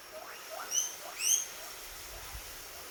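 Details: A happy guinea pig gives a few high, sharply rising squeaks, the louder ones piercing and whistle-like.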